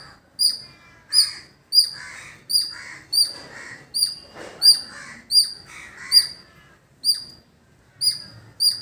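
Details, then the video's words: Squirrel in a village setting giving a long series of about fourteen piercing, high chip notes spaced roughly 0.6 seconds apart, with a brief gap near the end; quieter mixed bird chatter runs underneath. "Beautiful Squirrel Making Sound"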